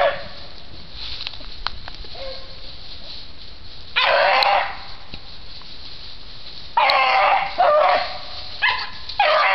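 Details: Beagle rabbit hound Shylow barking oddly while hot on a rabbit trail; after a quiet stretch come several harsh, broadband barks in quick succession, the loudest near the middle and a rapid cluster toward the end.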